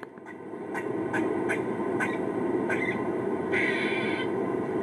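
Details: On a college campus, a female Eastern gray squirrel, apparently responding to a recording of kuks and quaas, gives an alarm call of rapid, sharp kuk barks and then a longer, drawn-out raspy quaa while flagging her tail.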